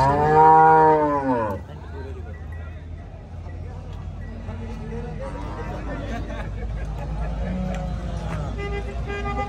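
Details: Cattle at the Kharian animal market in Pakistan ahead of Eid, 7 October: a loud drawn-out moo with a bending tone in the first second and a half, then crowd chatter, men talking and market noise.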